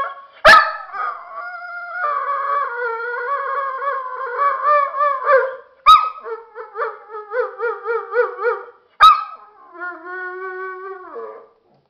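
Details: Dogo Argentino pet talking to its owner as if to tell something: long wavering howls and moaning whines, broken by three sharp yips, with warbling pulsed notes in the middle and a final sustained steady howl.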